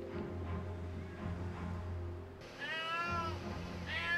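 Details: Mother cat crying from a rooftop while searching for her kitten trapped in a pillar: a quiet, humming stretch, then two drawn-out mournful meows near the end, with soft background music throughout.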